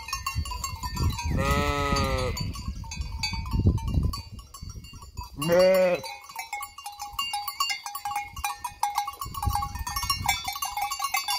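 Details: Sheep flock near the vacant Hotel Fürigen, two separate wavering bleats around two and six seconds, with low rumbling noise and faint ringing tones in the background.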